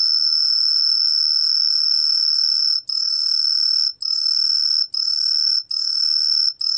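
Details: Green pine cricket (청솔귀뚜라미) singing a pure, shrill, high whistle held in long stretches of about one second or more, broken by brief gaps, with a faint lower tone beneath.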